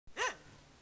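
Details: Single short relaxed dog bark, a quick rising-then-falling arched yelp under half a second, then quiet room tone.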